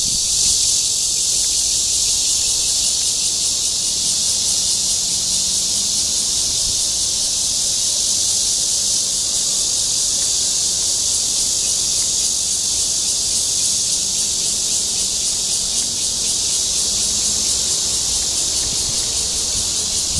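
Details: Cryptotympana holsti cicada singing to attract a mate in Guangming Park, Zhongli, Taiwan, 28 June 2013. An intense, unchanging high-pitched electric whine runs for the full twenty seconds over a low background rumble.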